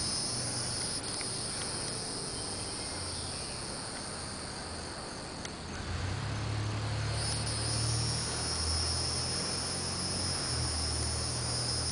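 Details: Hieroglyphic cicadas (N. hieroglyphica) in summer, a species that calls in the early morning, pauses, then calls from about 9 am until 4 pm. A steady, dense, high hissing drone continues throughout, with low rumbling noise underneath.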